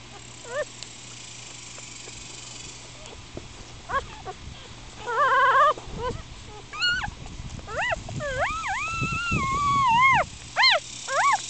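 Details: Four-day-old Miniature Schnauzer puppies, upset and squirming, give scattered high whimpering cries that rise and fall, some drawn into longer wavering wails near the end, with brief gaps of rustling between.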